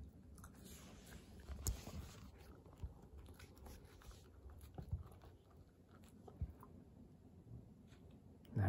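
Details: Female Kooikerhondje puppy Hana, born May 30, 2021, living indoors in Japan, chewing a new snack; steady low crunching and gnawing with scattered louder bites, a faint steady hiss in the background of a small room.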